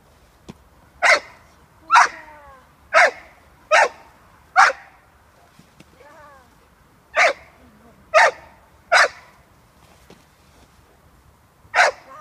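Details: American Staffordshire Terrier, a six-month-old female puppy, barking during protection training with her handler: sharp broadband barks in bursts of five, then three, then one, roughly a second apart, with faint whining between and a woman's voice.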